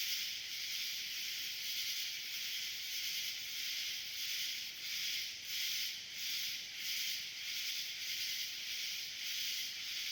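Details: Nightly summer swarm of cicadas: a dense, steady hiss concentrated high in pitch, pulsing gently in loudness about every second and a half, with no other distinct sounds.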